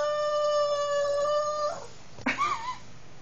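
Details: A female Boston Terrier, eager for a car ride as her owner asks about going bye-bye, gives a long, steady, tuneful Snoopy-like howl, then a short rising yelp.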